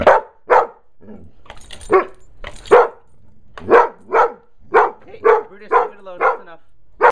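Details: Dog named Brutus confronting a bee he found, barking steadily: roughly a dozen short, punchy barks at about one per second, some running in quick doublets, with a faint voice early on.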